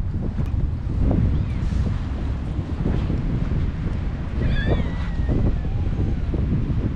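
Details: Tiny orphaned kittens, taken in from the street after their mother never returned, being fed wet cat food; one high, wavering, falling mew rises out of constant low rumble and handling noise.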